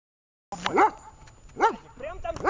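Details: Vesta, a dog in a training session in Horlivka on 20 July 2019, gives three arched, harmonic barks spaced under a second apart after a short silence. Low background noise runs throughout.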